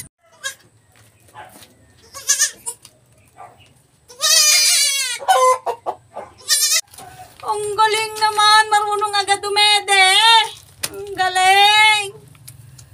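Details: Goat at a farm kidding, giving birth: a few faint sounds, then a long, loud, quavering bleat, a pause, and a series of strained, wavering bleats of several seconds each, with brief gaps between them.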